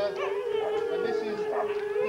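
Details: Huskies at a November 2001 race weekend in the Forest of Dean, captured on VHS; one strong level howl held for two seconds, backed by fainter wavering howls from other dogs.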